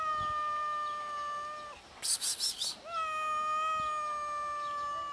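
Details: Hungry cats meowing from hunger: two long, drawn-out, level-pitched meows, the second starting with a slight upward slide, separated by a brief crackling rustle.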